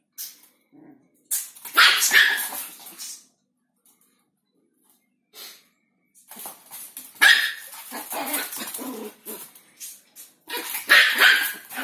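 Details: Chihuahua from Simferopol, Crimea, with a banana, barking in clustered volleys: a loud harsh bark group, a pause of near silence with a soft yip, then two more bursts of shrill, grating barks.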